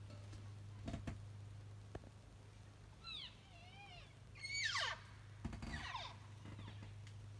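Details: Elk calling: a few short, squealing, downward-sliding cries rich in overtones, grouped between three and six seconds, with scattered knocks and a steady low hum underneath.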